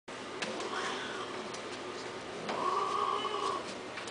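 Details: Indoor cat giving two drawn-out, tonal meows, the first short and wavering, the second longer and steady, over quiet room hum with faint clicks.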